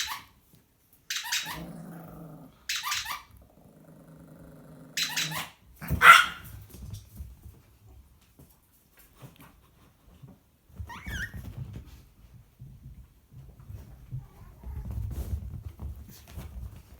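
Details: Chihuahua, a new family member, playing while hearing a squeaky toy for the first time: a few short sharp bursts early on, then stretches of low rumbling growls, with quieter gaps between.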